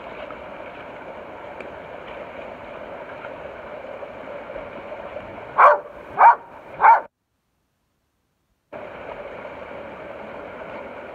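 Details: Ramsey, a rescued pit bull, gives three sharp barks in quick succession, roughly half a second apart, over a steady background hum that drops out briefly afterward.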